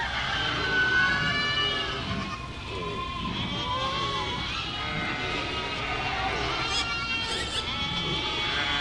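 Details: Goat bleats, drawn-out quavering calls rising and falling, with more than one animal calling over a constant low hum.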